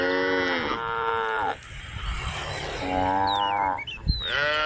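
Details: Group of tame cows grazing a grass field with a young calf; a female lows in drawn-out, rich moos, two in a row, a pause with field noise and wavering bird whistles, then more lowing.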